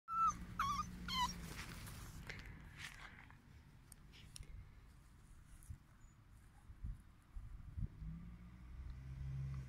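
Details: A male Beagle, one of a household's boys, gives three quick, high whining yelps, then low rumbling background noise takes over.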